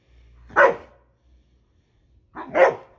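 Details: Two loud, rough barks about two seconds apart from a Siberian Husky objecting to a lawnmower, with a soft low rumble in between.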